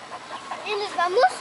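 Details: Young German Shepherd puppies of a working line, solid black and dark sable, seven months old; rising, wavering high whines climbing toward the end, with a person speaking nearby.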